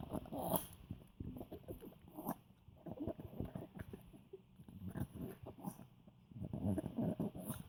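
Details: Scooter, an elderly Poodle, snorts and grunts like a cute piglet while enjoying yummy food; a steady string of low, throaty pulses in clusters, rising in loudness near the end, with brief snuffling breaths between.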